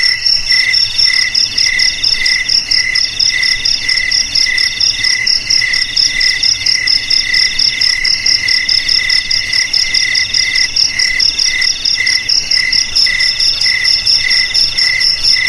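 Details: Shrill cricket song, with rhythmic bursts of chirps beating quickly over an unbroken high-pitched hum, dense and even from start to finish.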